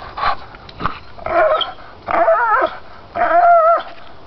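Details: Pit bull stubbornly gnawing lower pine branches: three drawn-out wavering, warbling whine-growls, each about half a second long, separated by gnawing and rustling noises.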